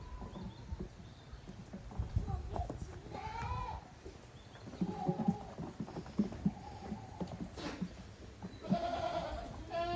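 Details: Lively goat kids at play in the exercise yard of Yoshigake goat farm, recorded 30 April 2023. Short bleats come and go amid heavy thudding, bumping and scrambling, with a longer wavering bleat closing the sequence.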